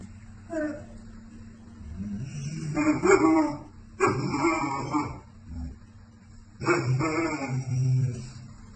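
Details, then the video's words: American Akita dogs talking to each other in a drawn-out exchange: three long, warbling, harmonic woo-woo vocalizations around the third, fourth and seventh seconds, with softer moans between them and a constant low hum. "What An Amazing Conversation!! #American Akita Dogs Talking"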